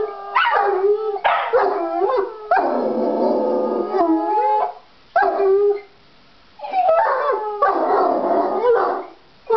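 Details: Eager for a walk, pet dogs Uther (Jack Russell) and Galahad (Irish Wolfhound) howl in bursts of a second or two, pitch sliding downward, separated by brief silences, with a long harsher stretch in the middle.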